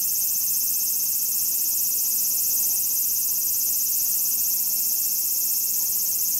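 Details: Large brown cicadas singing in autumn, past their summer vigour and straining out their last calls. A steady, unbroken sizzling buzz, high-pitched and even in loudness, holds for the whole stretch with no pauses.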